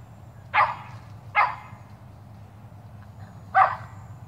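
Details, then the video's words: Shetland Sheepdog in a Superman costume barking while chasing squirrels: three sharp, broad barks, two close together and a third after a two-second pause, over a low steady background hum. "Sheltie chases squirrels"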